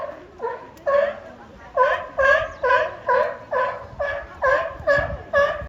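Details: Two California sea lions (Zalophus californianus) at Higashiyama Zoo, Japan, on 10 April 2024 trade loud honking barks, about two a second, competing in a vocal battle that first looked like a fight.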